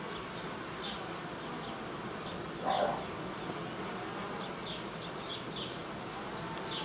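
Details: Honey bees at a beekeeper's apiary during colony uniting and queen replacement: a constant humming drone, one brief louder buzz near the middle, and scattered short high-pitched chirps over it.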